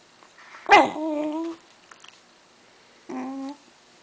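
A Shiba Inu whines for cheese with steady, nasal, level-pitched cries, repeated twice.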